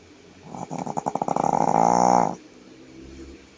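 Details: Jade, a female Shih Tzu asleep on her back indoors, gives one long snore: a rapid train of rattling pulses that speeds up and smooths into a steady nasal drone before stopping abruptly.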